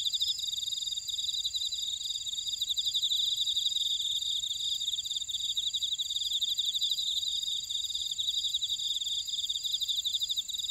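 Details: Grassland insects singing in a buckwheat field at Ora-dong, Jeju City, on volcanic Jeju Island, South Korea: a dense chorus of high, steady trills and rapid pulsed chirps, several layers overlapping throughout, with no other sounds.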